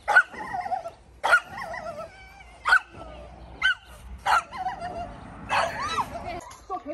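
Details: Belgian Malinois in decoy training, giving loud sharp barks spaced about one to one and a half seconds apart, each with a brief strained tail, over steady low background noise.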